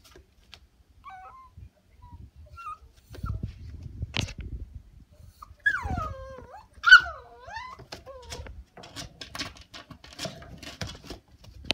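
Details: Kinako, a female Shiba Inu puppy on her eighth day in a new home, whimpers to be let out of her cage indoors: thin high whines sliding down and wavering, a few faint early ones, then louder drawn-out cries amid knocks and clatter.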